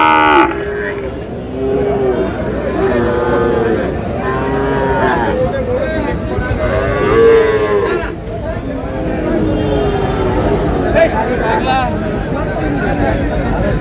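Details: Sahiwal bull calves at a cattle market on 27 March, bought by a farmer from Cumilla; a series of arched, harmonic moos repeating every second or two, with a busy crowd murmuring throughout.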